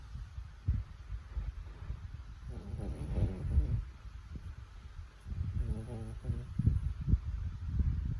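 A French Bulldog snores with low, rumbling breaths and a few buzzy, rattling snorts.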